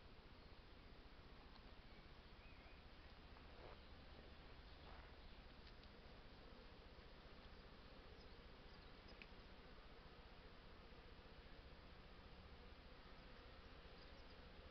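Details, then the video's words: Honey bees at their hives during an artificial swarm: a dense, steady buzzing drone that holds without pause, with a faint mid-pitched hum band and occasional brief higher whines from passing bees. "Honey Bee hives, artificial swarm."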